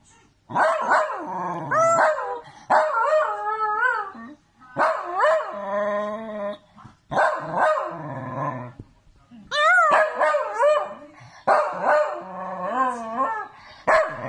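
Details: Dachshund, a sausage dog, vocalizing in a run of drawn-out, wavering, tonal howls and yowls, each lasting one to two seconds with rising and falling pitch, separated by short pauses; no other clear sounds.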